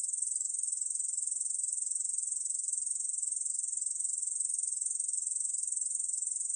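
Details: High-pitched continuous trill of a Korean bush cricket, National Institute of Biological Resources recording from 2020, made of fast, evenly pulsed buzzing ticks that never pause.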